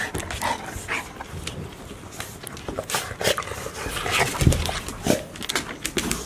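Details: Three one-year-old Golden Retriever siblings, a male and a female playing together while the third looks on, recorded 4 May 2019; brief growly whimpers and huffs rise out of steady scuffling and clicking noises.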